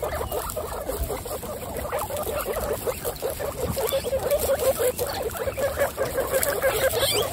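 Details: Group of 26 female guinea pigs kept as pets: a busy, continuous murmur of rapid, irregular low pulses, roughly three per second, with a faint squeak now and then.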